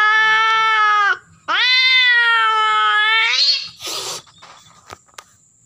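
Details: A female cat in heat yowls during mating: one wail ending, a short pause, then a long rising moan that climbs to a strained cry, followed by a burst of hissing noise and scattered clicks.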